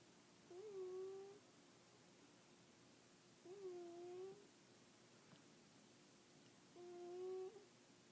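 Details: Sleeping cat snoring in a quiet room: three whistly, humming breaths, each under a second long with a slight dip in pitch, coming about every three seconds in an even rhythm.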